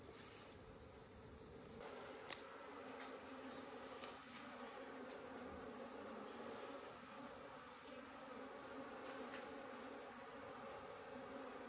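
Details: Honey bees buzz at a village hive in Nepal while a woman harvests it, smoking the bees first, then pulling them out and removing the combs; a steady low hum with harmonic bands, scattered clicks and handling knocks.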